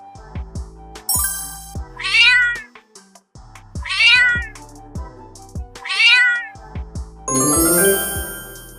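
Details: Cat giving three clear, high meows, each rising then falling, spaced roughly two seconds apart, over light children's music with chiming tones.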